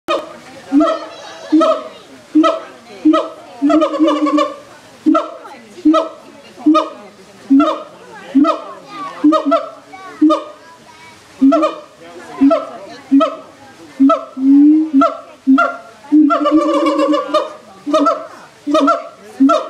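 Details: Siamangs at a zoo, a baby among them, give a rhythmic series of loud, hooting barks, each note rising and repeated every half second, audible throughout the zoo.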